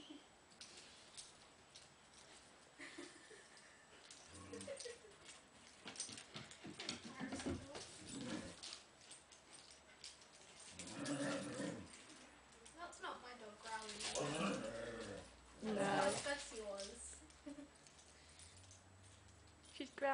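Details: Bella, a dog on a playdate with Arya the Borzoi and Pasha the Standard Poodle, growling because she is happy: rough, voiced bursts come in clusters, loudest midway and near the end, amid scuffling play noise and faint speech.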